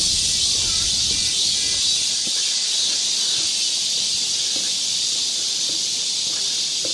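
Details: Dense summer cicada chorus in Galsan Park forest, Seoul, South Korea: a loud, continuous sizzling buzz filling the upper register, steady throughout, with faint low rumbling beneath.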